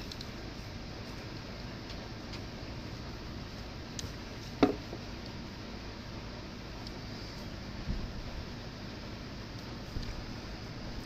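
Low steady room hum with a few faint ticks and one brief knock; no animal voice.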